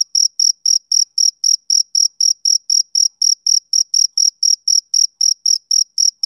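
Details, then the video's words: On a summer evening a male cricket repeats clipped, high-pitched chirps nearly four times per second, the beat regular and the background silent. "Cricket Chirping Sound Effect"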